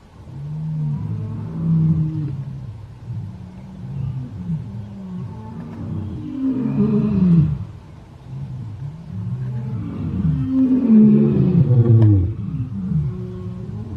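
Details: Morning roar of a lion: deep, rumbling moaning calls with slow pitch sweeps rise and fall across several long swells, building to a louder stretch near the end; faint low background rumble.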